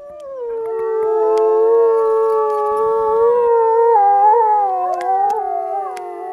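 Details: Several wolves in the wolf enclosure at Polar Park, Norway, howl together in long, steady, overlapping tones, several voices layered at different pitches, held for the whole stretch with slight wavering near the end.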